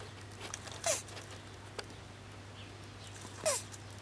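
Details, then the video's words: Tortoise mounting a larger tortoise while mating, giving creepy noises: two short, squeaky, descending wheezes about two and a half seconds apart, each with a breathy burst, over a steady low hum and faint scuffing. "Tortoise making creepy noises as it "mates""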